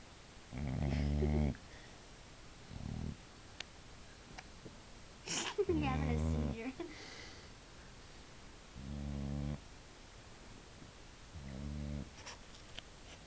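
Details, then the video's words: Sleeping female Boxer, half asleep, gives deep, buzzy snores in uneven bursts of about a second, five of them, while family members talk nearby and a high squeak cuts in midway. "boxer snoring"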